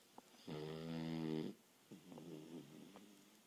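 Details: Sleeping Boston Terrier, resting after a long day of running and play, gives one steady, droning snore of about a second, then a softer, fluttering exhale.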